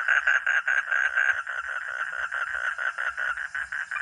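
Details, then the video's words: A frog or toad, known locally as katak or kodok, producing loud, raspy pulsed croaks in quick succession, uneven in loudness, with no other clear sounds. "Real 🐸 sound katak atau kodok || frog or toad"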